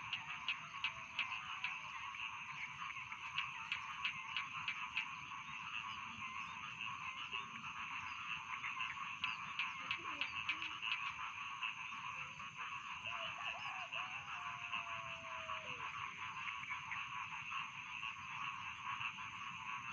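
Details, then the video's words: Dense chorus of rice field frogs, with overlapping rapid croaks forming a continuous rattling wall of sound, bursts of louder clicks, and a thin, drawn-out whistle gliding downward near the middle. "Bedtime Frog Sound || Suara Katak Sawah Pengantar Tidur"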